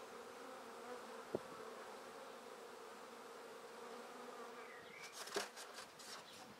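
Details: Honey bees swarming while being shaken from a tree into a basket produce a constant humming drone, broken by a sharp click and, near the end, a burst of rustling and a short whistled bird call.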